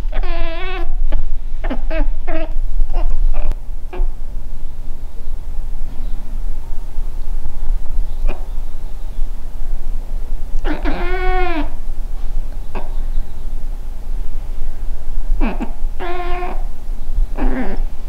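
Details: Female Scottish Fold cat at home, talking to a fly: scattered quick chirps early on, then long quiet stretches with faint clicks before a few wavering meows near the end over a low hum.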